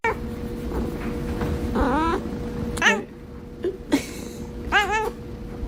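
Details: Domestic cat from a funny pet compilation, giving three drawn-out, wavering meows with rich harmonics, spaced about a second apart, over a steady low hum and faint indoor background noise.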